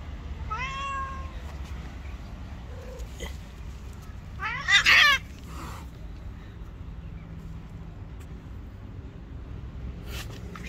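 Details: White cat, angry and letting no one come near it: a drawn-out, wavering meow near the start, then a loud, harsh, strained cry in the middle, over a steady low background rumble.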